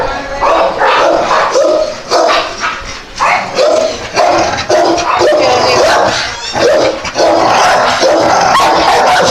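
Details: Several dogs barking and yipping in overlapping, uneven bursts, with short high yelps and harmonic barks piling up roughly twice per second, giving a noisy, crowded chorus.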